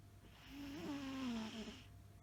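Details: Maine Coon cat snoring while asleep: one soft, thin whistling tone of about a second that slides gently downward with faint overtones, above a quiet low hum.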